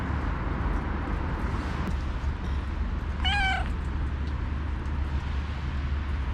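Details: Female stray calico cat at feeding time on a snowy day, calling loudly as though telling something; a single short wavering meow midway through, surrounded by low background hum and faint noise.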